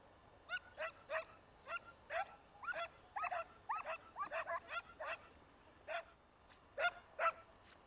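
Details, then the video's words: Italian Segugio hounds in full cry after a hare in an Italian vineyard, early 1990s: a dense, overlapping chorus of high, quick barks and yelps from several dogs, tapering to a few spaced calls. "ALLA LEPRE NEL VIGNONE CON INSEGUIMENTI INCALZANTI DEI SEGUGI ITALIANI"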